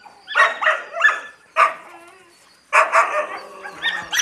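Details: Young Yakutian Laika puppies give a rapid cluster of shrill yaps, a single yap, a brief quiet gap, then another lively burst of high-pitched barking.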